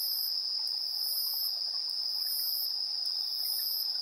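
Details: Evening insects at 7:04 PM, 3 September 2022, on a TASCAM Portacapture X8: a steady high-pitched trill continues while longer, very high pulsed bursts swell and break off about every second.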